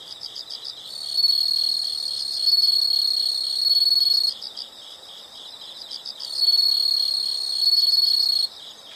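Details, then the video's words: Insect sounds of nature: fast, even high chirping pulses with two long, loud trilling stretches laid over them, each lasting a few seconds before cutting off. "the sound of insects"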